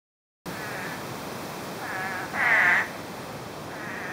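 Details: Spadefoot toads calling after 9 inches of rain fell in less than a day, recorded through brush: short nasal bleating calls, faint at first, then one louder call and another fainter one, over a steady background hiss.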